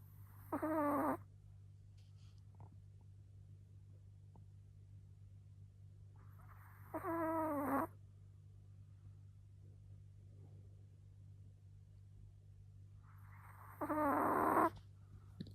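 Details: Small Pomeranian (Zwergspitz) snoring: three short wheezy, nasal snores about a second long, roughly every seven seconds, with quiet gaps between and a steady low hum throughout.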